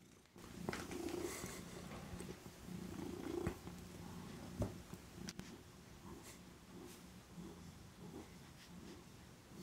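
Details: Domestic cat indoors after midnight, apparently wanting different food, purring steadily in a low rumbling rhythm with pulsing bands for most of the stretch, plus a few soft clicks and handling noises in a small room.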